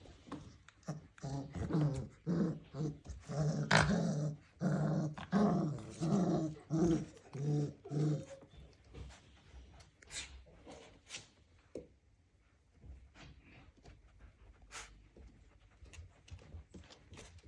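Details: Dalmatian puppies growling while playing: rough, low, rasping growls in quick bursts about every second for the first eight seconds, then quieter scuffling, clicks and occasional soft growls.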